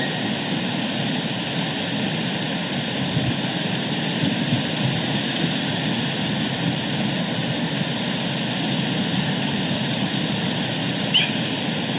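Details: Steady broadband engine roar like a passing aircraft fills the whole clip, with no animal calls heard.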